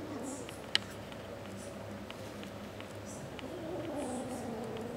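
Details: Kitten Pepsi murmuring indoors while refusing to share a sock with Max; a low, steady, wavering murmur rises slightly toward the end, with a sharp tap near the start and soft rustles in a quiet room.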